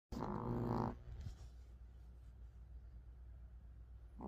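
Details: Sleeping Pomeranian dog snoring: one buzzy, rumbling snore of just under a second opens the recording, then a long stretch of soft low breathing hum with a faint start of another snore at the very end.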